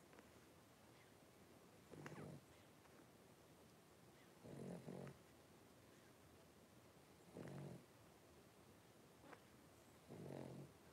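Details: A litter of five blenheim Cavalier King Charles Spaniel puppies, three weeks old, in a home puppy pen. Four low, raspy, snore-like grunts, roughly every two and a half seconds, with quiet background hiss between them.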